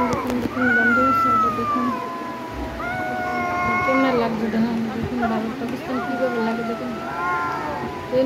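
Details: Domestic cats squaring off in a fight let out drawn, moaning howls that glide downward and then level off, three long wails in a row, while people talk in the background.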